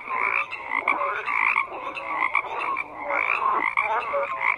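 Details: Dense frog chorus of overlapping croaks, bright raspy pulses and quick rising chirps repeated in waves, sound level staying high with brief lulls.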